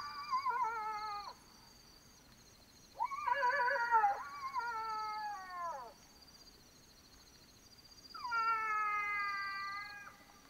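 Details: Black-backed jackals (Canis mesomelas) howl at night in Botswana, drawn-out wailing howls sliding slightly downward, with insects droning steadily behind.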